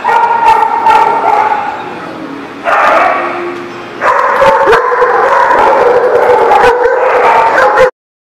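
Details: Several dogs in a barking lot produce a dense, loud chorus of rapid barks and yips with sustained howling tones, ending abruptly.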